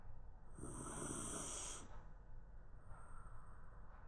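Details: Shiba Inu asleep on the floor at midday, letting out a single long, breathy snore with a hissing rasp. A faint softer breath follows before quiet returns.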